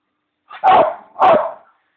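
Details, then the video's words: Pet Bichon male dog, fond of his bones, calling for his bone: two short, rough, yelping barks about half a second apart, each a loud burst with a harsh, nasal tone, then quiet. "dog howl"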